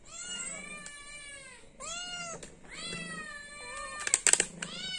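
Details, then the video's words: Hungry cat begging for food with three long, wavering meows, each about a second long and rising then falling in pitch, followed by a shorter soft meow and a burst of clattering clicks near the end. "The sound of a cat meowing for food, because it is hungry."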